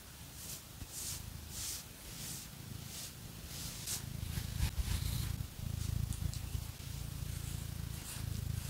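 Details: Phoenix, a pet cat, purring steadily while scratched with fake nails: a low continuous rumble under repeated bright scratching strokes, no talking.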